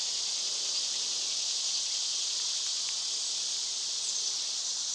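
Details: Summer cicada chorus: a dense, continuous high-pitched shimmer that holds level throughout, with a few soft, faint chirps barely rising above the drone.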